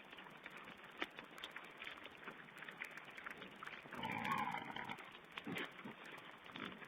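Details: Wild boar piglets at feeding time, recorded by a webcam on 16 April 2010. Soft grunts and rustling lead to a strong, drawn-out squeal around the four-second mark, followed by quieter chatter over steady hiss.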